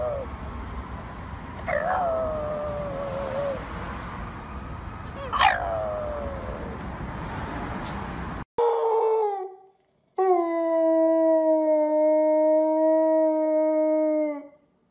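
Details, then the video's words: Dog howling: two drawn-out falling wails over a noisy, rumbling background, then after a cut a clean quiet setting with a short falling cry and a long steady rich howl held about four seconds. "Funny Dogs Howling"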